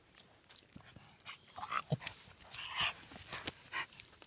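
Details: German Hunting Terriers (Jagdterrier) in training to hunt wild boar give sharp, irregular barks and high yelps in quick, uneven bursts.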